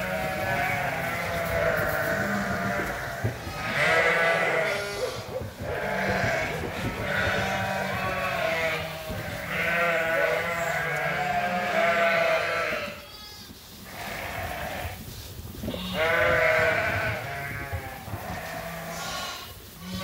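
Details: Hungry flock of sheep and lambs at Ewetopia Farms during feeding time. A continuous chorus of long tremulous bleats comes in waves of a few seconds each, with two brief quieter gaps and farmyard noise behind.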